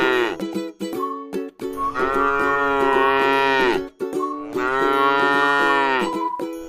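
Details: Grazing tame cow in a rice field lets out two sustained moos after a few short clipped sounds, the calls swelling and fading, with music playing steadily beneath.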